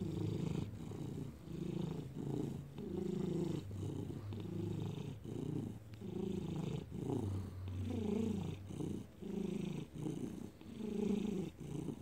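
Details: Felix the domestic cat purrs, recorded May 2019; deep vibrating rumble rising and falling with each breath, roughly one cycle per second, steady and continuous with soft dips between inhale and exhale.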